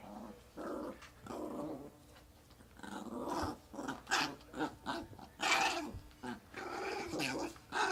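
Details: Chihuahua kept as a pet, worked up indoors and vocalizing oddly: continuous varied growls and grumbles rising and falling in loudness, with gargling, snorting bursts throughout the eight seconds.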